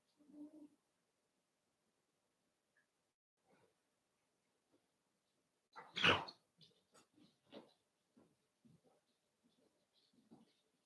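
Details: Cavalier King Charles Spaniel puppies at play, raised indoors in a home pen. A soft grunt, a pause, then one loud sharp yelp followed by a quick run of small squeaks and snuffles in a quiet small room.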